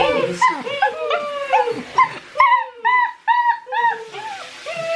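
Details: Six-week-old Great Dane puppies crying during their first bath, which they hated; a chorus of high, bending whines and yelps overlapping, several pups calling at once, a woman talking to them softly in the background.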